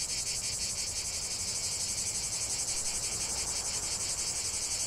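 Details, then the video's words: Steady high buzzing of massed cicadas, a shrill rasping drone pulsing rapidly and evenly, with nothing else audible. "45 min de chant des cigales"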